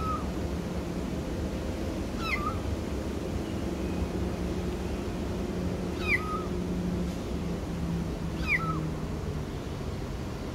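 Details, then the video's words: Kitten stuck in a drainpipe giving short rising-then-falling meows, three spaced calls a few seconds apart over a steady low rumble of background noise. "KITTEN IN DRAINPIPE"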